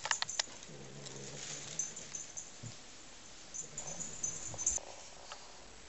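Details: Pet cat growling quietly while playing with a new toy it found in a bag, as if guarding its own prey; a faint, low rumbling growl lasting about two seconds, returning briefly near four seconds, with clicks and rustling of play.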